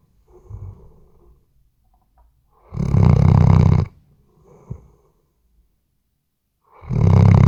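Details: A Weimaraner asleep, recorded on a RODE NTG3B microphone, lets out two loud, low, raspy snores about four seconds apart, with soft wheezy breaths and a tiny click in the quiet gap.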